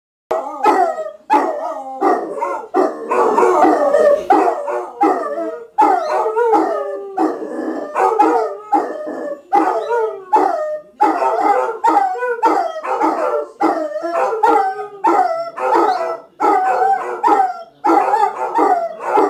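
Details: Several Basset Hounds howling together in a morning chorus, loud overlapping wavering howls rising and falling in pulses every second or so, with yelping breaks between phrases and no other sounds.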